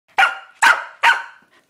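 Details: Corgi barking while attacking a new toy ball during play: three sharp, high barks in quick succession, roughly 0.4 seconds apart, each with a bright, abrupt onset and a quick fade, then quiet.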